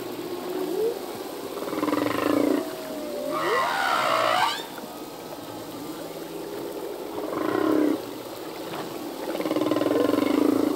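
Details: Male humpback whale singing underwater, song that changes each year with new phrases: moaning tones swelling and fading, a bright rising-and-falling upsweep near four seconds, then further drawn-out groans repeating at uneven intervals.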